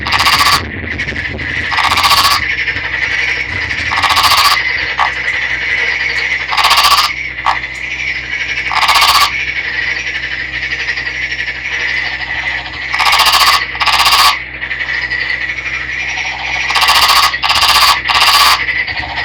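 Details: Green Nagoya Daruma pond frog, a captive male netted from a river, calling; at the end he embraces a female. Harsh, pulsed buzzy bursts about a second long, repeated every two to three seconds over a steady high background hum.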